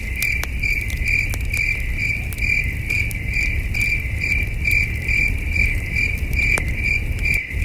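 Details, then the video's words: Crickets chirping at night at a starry wilderness campsite beside a campfire: a steady high-pitched pulsing trill, a little over two pulses per second, over sharp crackles of burning wood and a low outdoor rumble. "Camping Under a Million Stars with Soothing Cricket Sounds"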